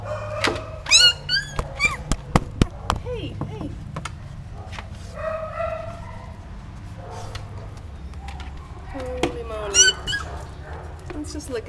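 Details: Gidget, a mother dog with her nine puppies, amid high, rising whines and short squeaky yelps in scattered bursts, while a woman talks and laughs over them and soft thumps sound in the background.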